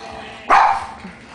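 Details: Boston Terrier dog sneezing on command as a trick: a single sudden, short, noisy burst lasting about a third of a second, with a person praising the dog with "very good" before and after.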